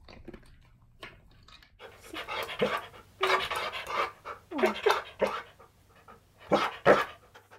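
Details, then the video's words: Male Siberian Husky demanding his lunch indoors: bursts of loud, breathy whining and groaning vocalisations with a rising squeak, separated by brief pauses, in a small room. "My Husky Demands Lunch In The Funnest Way!"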